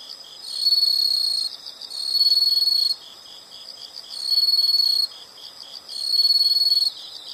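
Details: Shrill, high-pitched insect trills come in four regular bursts of about a second each, separated by short lulls filled with a fainter, steady pulsing background chorus.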